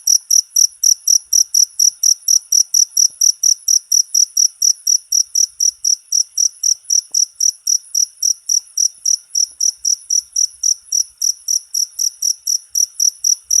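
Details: Cricket call meant for tutoring songbirds: a steady, high-pitched trill of evenly spaced shrill chirps, roughly four per second, running without a break over a silent background.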